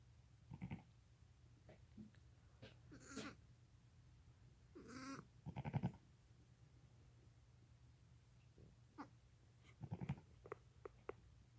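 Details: Day-old lambs under five hours of age with their mother, nursing and moving about; scattered thin cries, some rising and wavering, come in irregular bursts among soft rustling and a low constant hum.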